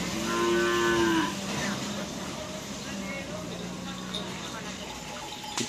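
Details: Cattle at a karapan sapi bull race training session at Asemanis field, Pamekasan, with the Singo Barong (Can Macanan) team present: a long, drawn-out moo in the first second, then a steady hum and crowd noise.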